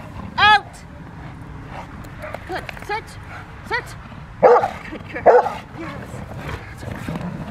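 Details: Rottweiler Freya vh Odom in protection training on November 21, 2021, preparing for IGP1 and Ztp: a sharp bark early on, then two louder, heavier barks close together near the middle, with human voices and steady background noise.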